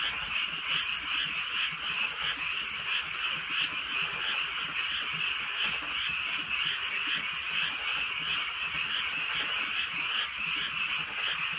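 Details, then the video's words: Frogs calling on a drizzly rural night in the Korean countryside: a dense chorus of high, rapid croaks pulsing a few times per second, with scattered ticks of light rain. "개구리 소리"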